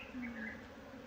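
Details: Honey bee swarm kept at home, a steady buzzing drone with a low hum and layered overtones, slight waver in pitch through a brief moment.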